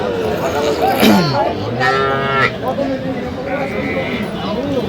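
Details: Cattle, including small bull and heifer calves, at a busy livestock market in Kushtia, Bangladesh, on 8 October; several overlapping drawn-out harmonic moos, some rising and falling, amid loud crowd chatter and bargaining voices.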